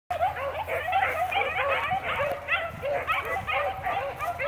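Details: Pack of line-bred Blackcreek beagles, rabbit dogs, baying while tracking cottontail, bluetail and swamp rabbits; many overlapping ringing, yodelling bays with bent, wavering pitch, pouring out continuously with no break.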